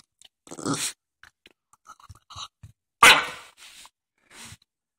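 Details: A Jack Russell Terrier called Biscotti making a strange noise indoors: a breathy huff opens, soft ticks and low clicks follow, then one loud, harsh snorting burst, trailed by two quieter breathy puffs.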